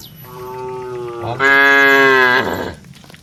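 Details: A single long moo from a herd of tame cattle walking to the barn, starting level and then stepping up into a louder, higher, strained second part before fading.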